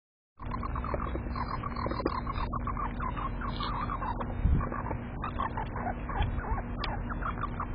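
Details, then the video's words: Prince the squirrel in a sudden outburst while another squirrel stays unfazed: a quick series of short, squeaky chattering notes, about five or six a second, running steadily over a constant low background hum. "Prince's Shocking Outburst: Another Skirl Unfazed"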